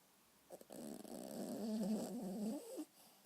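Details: Maltese puppy snoring indoors: a single rough, rattling snore lasting about two seconds, a broad low-mid buzz with fluttering texture, in an otherwise quiet room.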